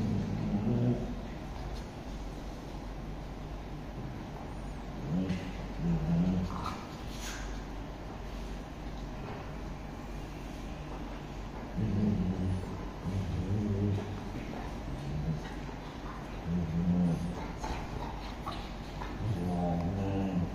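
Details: Mufasa the bullmastiff and Cash the Shih Tzu, two pet dogs, fight over a couch. Low, rumbling growls come in short bursts near 1, 6, 13, 17 and 20 seconds, with a steady low hum between them.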